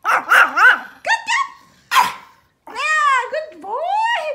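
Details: A Pomeranian at playtime gives quick, high-pitched yappy barks, then longer whiny, drawn-out yowls, amid training-style praise.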